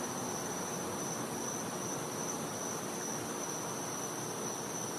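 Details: Cicada heard at night in winter in a Floridian back yard, its constant high, pure-toned whine clear and unbroken above a wash of soft outdoor noise.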